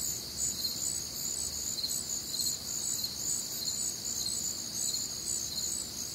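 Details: Crickets and other nocturnal insects on a warm, humid Midwestern summer night; high shimmering trills with pulsed chirps recurring about once a second, layered voices, low faint background rumble.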